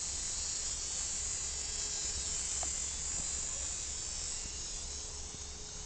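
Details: Cicadas at a campsite, buzzing all day, fill the air with a loud, steady, high-pitched buzzing drone.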